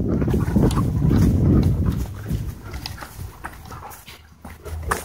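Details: Dogs in wild play at a dog park, giving low rumbling growls and grunts that are loudest early on, then fade into scuffling and panting amid outdoor noise.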